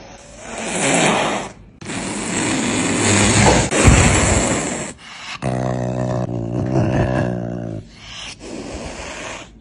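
A cat makes several raspy, noisy exhalations, each lasting one to two seconds. A lower, more tonal meow follows, held steady for a couple of seconds before it fades into quieter breathy sounds.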